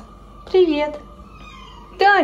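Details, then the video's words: Pet caracal frightened of Maine Coon cats, indoors: two loud cat-like calls with strong harmonics, the first falling and drawn out for about half a second, the second short and abrupt, with soft background hum between. "КАРАКАЛ ИСПУГАЛСЯ МЕЙН-КУНОВ"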